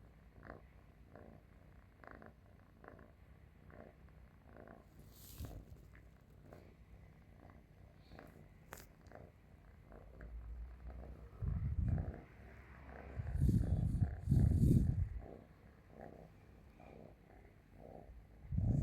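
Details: Cat dozing on someone's stomach purrs softly and low for a long stretch, then swells into several loud, rough rumbling bursts near the end, with faint rustling heard.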